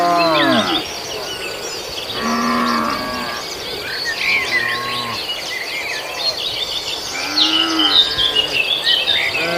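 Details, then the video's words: Sacrificial beef cattle grazing on green grass. Scattered moos of varied pitch, some brief and muffled, are partly masked by constant bird twittering and an insect hum. "suara sapi"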